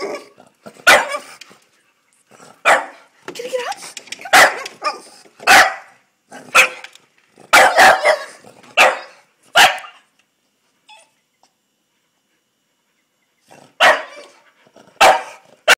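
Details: French Bulldog Hugo, annoyed and asking to come inside, lets out a run of loud, rough barks in irregular bursts, then a pause of a few seconds before another cluster of barks. Voices mix in among them.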